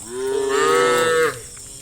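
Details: Morning cattle herd on a village road toward grassland; one loud, drawn-out moo, rich in harmonics, slightly rising then ending abruptly, with faint background hiss.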